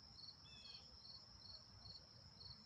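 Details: Cricket chorus in a backyard, a steady high trill pulsing in regular bursts about every 0.4 seconds over faint low background noise, with one brief higher chirp early on.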